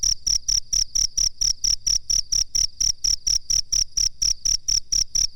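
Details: Cricket chirps recorded as a master for bird training, shrill high-pitched pulses repeated steadily at a quick even rhythm, about four each second, clean with no background.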